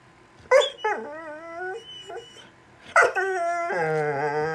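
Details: Cash, a pet dog, sits and makes weird sounds because he wants a toy. He gives sharp yelping onsets, then wavering nasal whines. A long, steady, howl-like whine closes the sequence.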